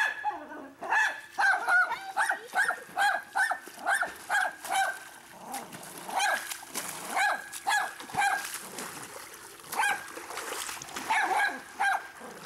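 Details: Pet dog Cosi barking and whimpering beside a private pool, upset when someone goes under the water or swims; short yelping barks repeat roughly every half second, mixed with whines, splashing and people laughing and talking.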